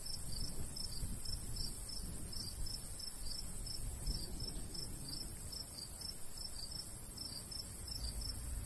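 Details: Summer crickets in open countryside by a golden wheat field, rapid evenly spaced high chirps continuing throughout, with a strong low wind rumble underneath.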